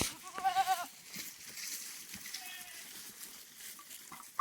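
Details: Farm goats in extreme heat, taken in the afternoon to graze outside their pen; a brief trembling, vibrato bleat opens, then a faint drawn-out tone, with a high background hiss throughout.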